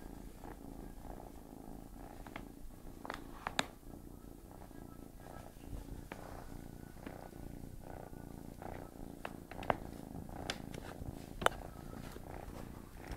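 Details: Tigger, a domestic cat trying to sleep while a kitten pesters it indoors: a steady low rumbling purr runs throughout, with scattered sharp clicks and rustles from the animals moving.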